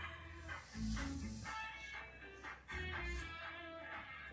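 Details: No animal sound is heard, only quiet guitar music with a low hiss.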